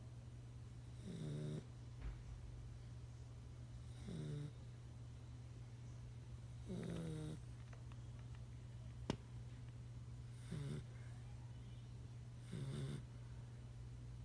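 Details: Nine-week-old pit bull puppy snoring while asleep: five soft rasping snores, each about half a second, spaced roughly every three seconds, over a steady low hum indoors.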